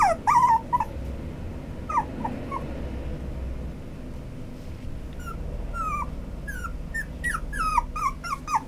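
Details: Young white male Toy Poodle whimpering: thin, high whines that slide downward come in bursts, first a cluster, a quieter pause, then a rapid run of quick whines near the end, with faint clicks and low background hum.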